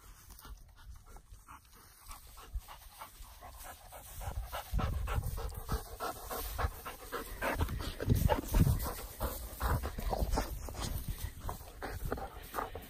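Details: Labradors at Bogarie Kennels in Scotland, Ceabhar and her daughter Dageid, in summertime: breathy, rhythmic panting at about two breaths per second, quiet at first, then louder and heavier from midway, with soft rustling between breaths.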